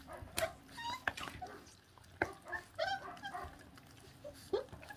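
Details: A 26-day-old feral dog pup feeding on raw food lets out several short, squeaky whimpers and yips. The calls are broken up by sharp smacking and chewing clicks.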